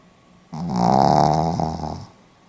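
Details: Pomeranian dog asleep, recording dated 4 November 2015, giving one drawn-out, buzzing snore lasting about one and a half seconds, rough and throaty with a steady pitch, in a quiet room.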